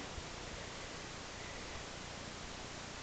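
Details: Only a constant hiss of broadband static is heard, with no animal voice.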